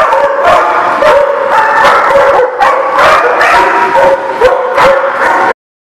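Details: A crowd of dogs barks and yips over one another, with squeaky whining notes rising between the sharp barks, the din stopping abruptly after about five and a half seconds into silence.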